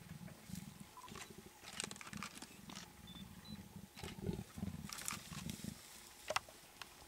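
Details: Female leopard flirting with a male during a safari in Greater Kruger Park, South Africa: deep rumbling growls in short repeated pulses, pausing and resuming, with faint clicks and rustles in the background.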